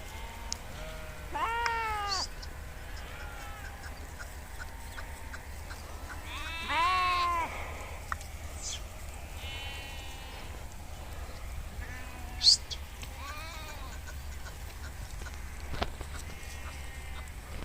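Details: Several sheep in a nomadic herded flock grazing in the Kashmir countryside bleat in wavering, nasal calls, one after another.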